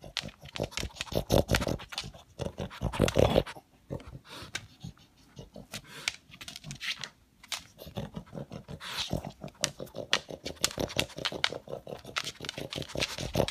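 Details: A pet pug, male, noisily sucking and snuffling after leftover food pellets like a vacuum cleaner; dense rapid snorts, a quieter pause in the middle, then the rasping bursts resume strongly.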